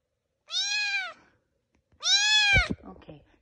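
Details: A foster kitten left alone indoors while its companions are at the vet gives two clear, loud meows about a second and a half apart, each steady then falling, followed by a brief rustle.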